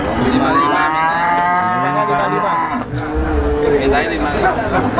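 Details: Cows at a cattle market where young female Rambon-type cattle are sold; a loud rising and falling moo, then lower drawn-out lowing, over continuous crowd noise and voices.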